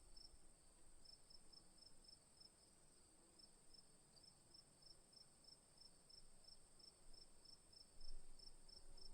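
A cricket gives short, high chirps in a quick, steady series over a constant insect drone.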